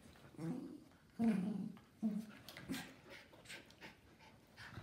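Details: Two playing schnauzers, one miniature and one giant; a few strong, low, rough growl-whines about a second apart, then fading softer grumbles and panting.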